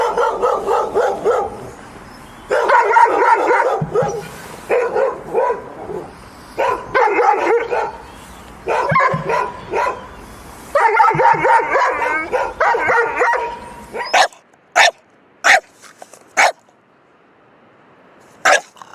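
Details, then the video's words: A dog barks in rapid, harmonic bursts of about a second each for fourteen seconds, with short pauses between bursts. A few sharp, isolated barks follow over quiet. "Dog Barking Sound Effect || Dog Sound Video || Dog Sound || Dog Barking Loud"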